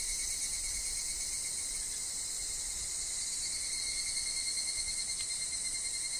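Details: Higurashi (evening cicada) in a woodland, alongside wind and falling leaves: a dense, steady high-pitched insect chorus with a fine shimmering texture and a thin constant tone beneath it. The chorus never pauses.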